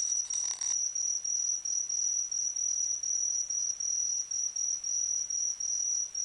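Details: Autumn insect voice: a shrill, steady high trill chopped into regular pulses about every third of a second, with a short scratchy rustle at the start.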